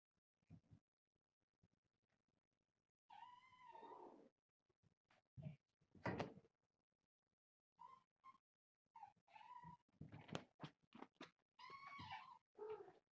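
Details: A litter of four kittens with their calico mother, about one year old, wrestling and playing indoors; several drawn-out, slightly wavering meows between soft thuds and knocks, with quiet gaps.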